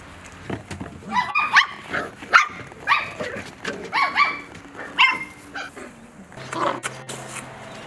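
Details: Mini doodle (Bordoodle x cavoodle) puppies playing and eating breakfast give short, high, tonal yips and barks in quick irregular bursts through the first five seconds. A softer, muffled stretch with faint rustling follows near the end.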